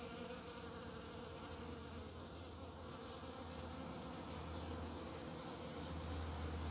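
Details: A bumblebee among the first of the season, early spring with snowdrops and primroses flowering. A continuous deep drone hums unbroken throughout, with a faint hiss behind it and a slight rise in loudness toward the end.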